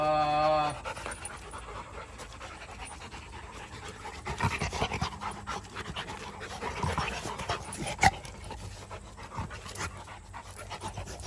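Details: Rottweiler, part of a family of dogs, panting in quick breathy bursts of about two to three per second, opened by a short tonal whine-like sound and set against a steady low hum.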